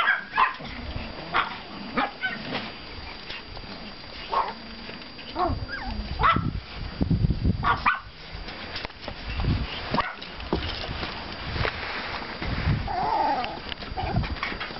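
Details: Pomeranian puppies from litters 32 and 35, out for a walk in a yard after snowfall on 5 April 2014, give scattered short, sharp barks and yips among rustling and footstep noise.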